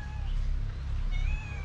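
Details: Mother cat and kitten meowing loudly for food, hungry: two drawn-out tonal meows, the second a little higher and steadier, over a constant low rumble.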